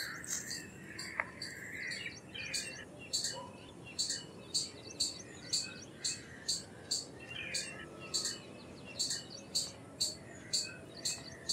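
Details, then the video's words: Palm squirrel from India calling persistently: a long series of short, shrill chips spaced about half a second apart, with scattered lower chirping and a faint hum beneath. "Squirrel Sounds Effects - Squirrel Calls - Squirrel Sound - Indian Squirrel - Squirrel Voice-Vocals"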